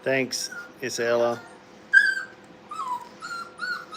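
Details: Brittany puppies at play in a kennel, a deep human voice speaking briefly at first, then a string of high, wavering puppy whimpers, some falling in pitch, repeated about once a second.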